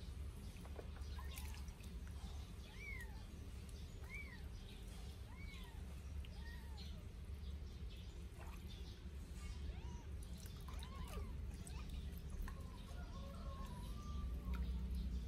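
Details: Two 8-day-old Sphynx kittens during their first bath give thin, high mews that arch up and fall. About a dozen sound across the clip, some in quick runs, over a steady low rumble and splashing noise.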